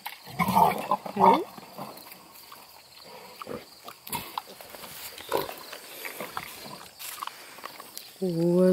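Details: Wild boar and domestic pig cross, called a big bad piggy, near Kingston, Ontario, Canada; two loud rough grunting bursts early on, scattered rustling and footsteps, then a man's voice at the end.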